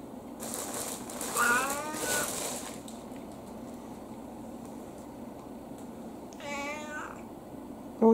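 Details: Elderly indoor tabby mixed-breed cat, autumn, gives a drawn-out harmonic meow around 1.5 seconds and another short rising-falling meow near 6.5 seconds, over steady room hum with a person speaking softly to it.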